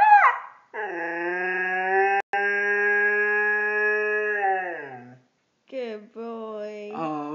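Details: Siberian Husky kept as a pet, singing for another dog: a short rising yelp, then a long steady harmonic howl of about four seconds that drops at its end, followed by wavering howls; a man speaks in between.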